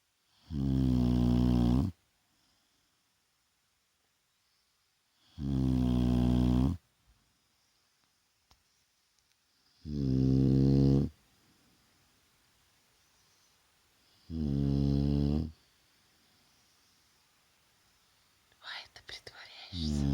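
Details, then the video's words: Vaya the Shar Pei snores while resting during the day: four loud, low, rattling snores, each about one and a half seconds long, spaced roughly four seconds apart, with quiet breathing between them and a brief rustle near the end. "Шарпей Вая храпит!"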